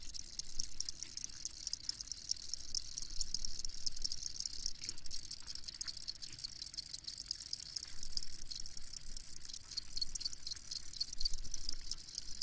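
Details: Field crickets chirping, a recording for sleep: continuous shrill, high chirps pulsing rapidly and evenly, a chorus of crickets heard over faint low background noise.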